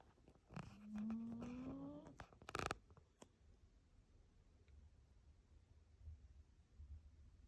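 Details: Rin the dog snoring while asleep indoors, a sports-car-like tone rising steadily in pitch for about one and a half seconds, followed by sharp clicks and a brief loud rustling burst.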